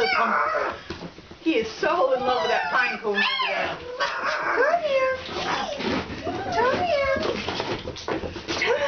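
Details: Young Alaskan Malamute puppies at Kalamals Kennel, out of doors for the first time, keep up a chorus of overlapping squeaky whines and yelps that arc upward then fall, mixed with people chatting nearby.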